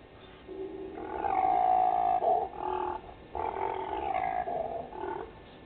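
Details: Impala ram snarling during the rut at a waterhole on Djuma Game Reserve, Sabi Sand Wildtuin, South Africa, at night: rough, growling roars in bursts of one to two seconds, broken by short pauses.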